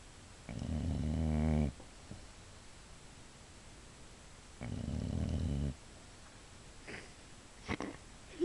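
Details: Female pet Boxer asleep indoors, snoring: two long, deep, rattling snores, each just over a second, about four seconds apart, with quiet breathing and faint rustles between.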